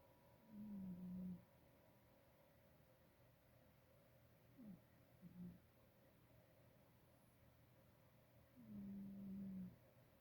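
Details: Female house cat asleep and snoring softly: three low, raspy breaths spaced roughly four seconds apart, with quiet room background between them.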